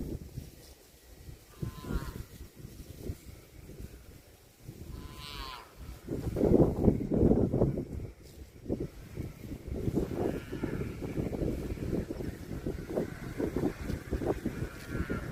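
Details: Cattle lowing: a long, loud, low moo swells midway, followed by further drawn-out lows over a steady rumbling background.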